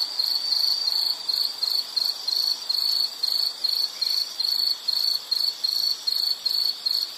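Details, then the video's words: An insect makes high, thin chirps in short repeated bursts of roughly a third of a second each, separated by brief gaps. The sound forms a steady pulsing rhythm with no other clear sounds. "Sound of nature sounds scenery L · insect"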